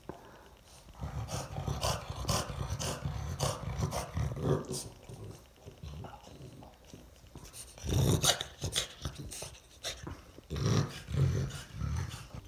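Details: Oleg, a French bulldog, snorting and grunting in the morning after being let out, pleased and having already eaten; low rough breathy grunts in bursts, louder snorts near the end, with a woman's voice nearby.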